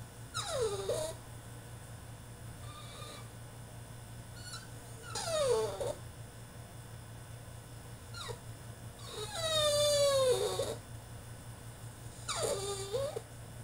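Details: French Bulldog throwing a tantrum in his cage, crying out in loud descending whines and yelps about every two to three seconds, one long wavering wail in the middle, with a constant low hum beneath.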